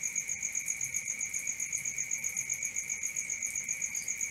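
A cricket chirps steadily in rapid, pulsing trills, high-pitched and evenly repeated.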